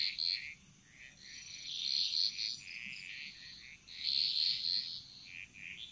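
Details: Frog chorus in a Bali jungle: overlapping bright trilled croaks in bursts, rising and fading every second or two, with a steady high insect-like hiss underneath.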